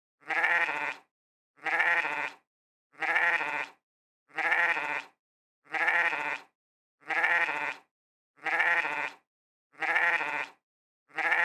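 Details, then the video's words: Sheep bleating with a nasal, wavering 'meh', one identical bleat about every 1.4 seconds, nine in a row, each roughly a second long, over a completely silent background. "Sheep Sound Effects | Meh Sounds of Sheep"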